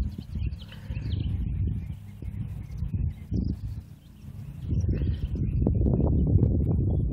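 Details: Thoroughbred race horse working out a half mile on a training center track: rapid, fairly regular low thudding hoofbeats, about three to four per second, building louder toward the end, with faint bird chirps and outdoor rumble behind.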